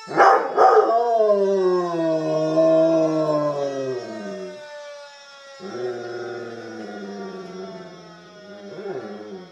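A coonhound-Rottweiler mix dog gives long, wavering howls in answer to a siren.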